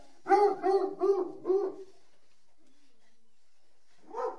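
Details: Dog giving four quick, clear, tonal barks in a tight, evenly spaced burst, then a pause and one more single bark; otherwise quiet.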